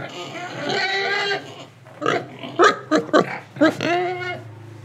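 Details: Pig in Indonesia, breathing and eating, lets out a long nasal squeal, then four or five quick emphatic grunts and a final drawn squealing note.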